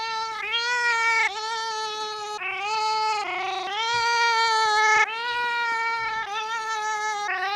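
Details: Domestic cat making drawn-out, weird meows while wanting to be petted; long continuous wavering cries, each lasting one to two seconds with slight pitch bends, repeated back to back in a quiet room.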